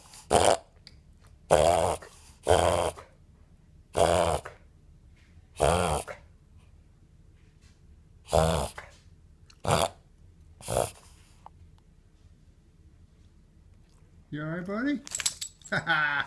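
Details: A 5-month-old male Boston Terrier has a reverse-sneezing episode: loud, rough snorting inhalations come in bursts roughly a second apart, then pause, with a higher, wavering whine-like sound near the end.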